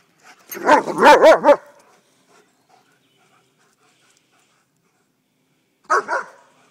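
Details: White German Shepherd dog playing at a park, giving a quick burst of four loud, harmonic barks followed after a long silence by a second short double bark.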